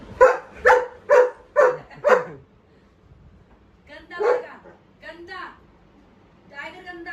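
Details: Angry pet dog barking at home: a fast run of five sharp harmonic barks about twice per second, then a pause and a few rougher, looser barks, with a person speaking Hindi nearby.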